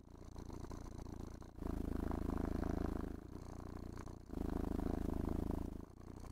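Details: Domestic cat enjoying brushing and petting gives a low, buzzing purr, alternating louder and quieter breath phases about every one and a half to two seconds; soft rustle of grooming in the background.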